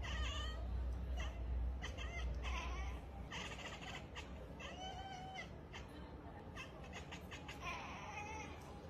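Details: Persian cat giving several short, wavering meowing cries, some rising then falling, scattered through the stretch over a steady low rumble and hiss.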